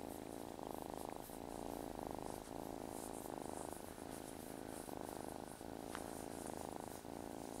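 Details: Close, steady purring from a male house cat said to have a good motor, indoors; the rumble swells and eases in repeated breath cycles under a faint high background hiss, with a short squeak near the end.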